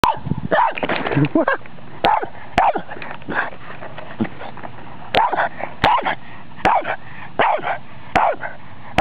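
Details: Boston Terrier barking at electronics: short, sharp barks in uneven bursts, several close together near the start, then spaced pairs and single yaps every second or so, with faint indoor background.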